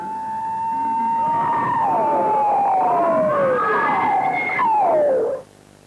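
Dolphin sounds slowed into human hearing range, heard as smooth, overlapping tones that glide and fall.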